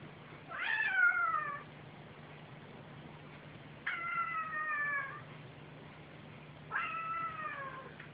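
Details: Domestic cat, one of a mother and son pair playing together indoors; three drawn-out harmonic meows spaced about three seconds apart, each starting high and sliding gently downward, over a faint steady low hum.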